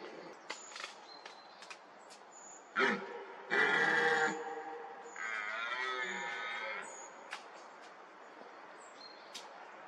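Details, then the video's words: Rutting red deer, a fourteen-point stag in a young oak wood. A short grunt leads into a loud, rough roar lasting about half a second, then a longer drawn-out bellow. Thin high bird ticks are scattered around it. "Jelení říje"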